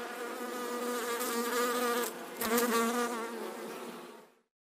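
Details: Mosquito buzzing: a continuous, droning whine with rich overtones and slight rises and falls in loudness, which fades out after about four seconds.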